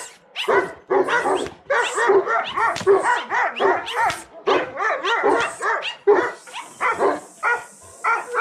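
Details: Bucovina Shepherd Dog (Ciobanesc de Bucovina) at Paltinu, barking in a rapid, uneven series of sharp, loud barks about once a second, some overlapping, with a steady high hiss in the background.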